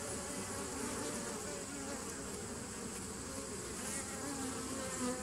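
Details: Bees buzzing in a constant low hum, recorded 27 September 2018, with a couple of faint higher tones toward the end and a slight swell just before it closes.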